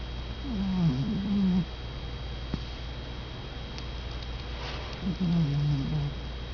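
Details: Domestic cat asleep and snoring softly, two quiet, low, quavering rasps about four seconds apart over a steady background hum.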